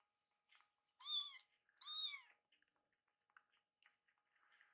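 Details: Two hungry rescued foster kittens, Kii-chan and Chakkun, cry indoors while their feeding is delayed as milk cools. Two loud, drawn-out harmonic meows about a second apart, followed by fainter short mews and small clicks.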